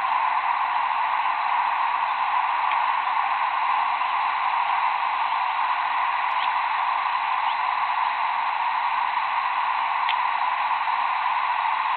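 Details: Steady broadband hiss throughout with a few faint clicks; no animal calls.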